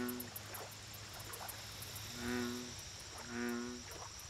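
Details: American bullfrog at a lake: two deep, harmonic, droning croaks about a second apart, each swelling and fading. A steady hiss and rapid high ticking sounds run underneath, with faint softer calls in the background.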